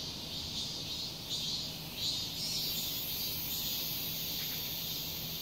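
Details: Cicadas calling loudly on a summer day in a residential complex, a steady high buzzing hiss that swells and eases in pulses over a faint low hum.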